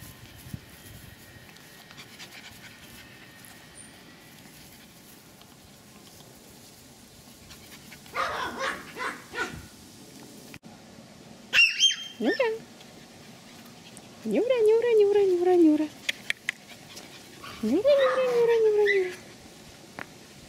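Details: Pomeranian from a kennel in Kyiv, Ukraine, indoors; a few short yaps around eight seconds, then sharp falling whines and two long high whimpers that slide downward, near fifteen and eighteen seconds, with quiet room noise between.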